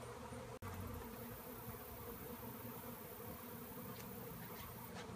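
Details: Honeybees swarming in the air following a tree cutout; an unbroken, humming buzz with layered low tones, briefly cut by a sharp click early on, then steady to the end.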